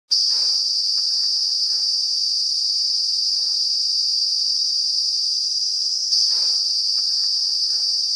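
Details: Cicada calling in close-up in the Uttarakhand hills of the Himalaya, its abdomen vibrating to make the noise: a loud, unbroken, high-pitched trilling whine held steadily throughout, briefly dipping and resuming, with faint rustling underneath.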